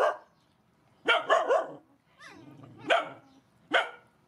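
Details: Barking from rescued mother dogs and puppies being fed: a quick triple bark, a pause with a softer whining note, then two single loud barks spaced under a second apart.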